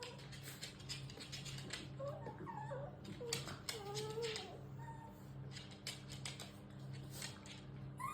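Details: Shiba Inu giving strange high squeals, said to be the way these dogs talk to their mothers from puppyhood; thin, whiny, bending squeals cluster in the middle seconds over a steady low indoor hum and faint rustling.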